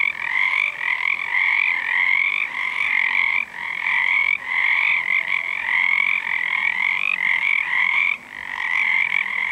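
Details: Many frogs, believed to be Pacific tree frogs but not seen, calling at night under a full moon in February 2011 beside a sauna; a steady, thick chorus of raspy trilled croaks with short lulls every few seconds.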